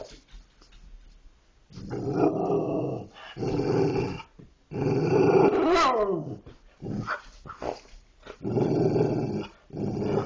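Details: Dogs 'talking' with a run of rough, throaty growl segments separated by brief pauses. In the middle, a sweeping whine climbs and then falls before the grumbling resumes.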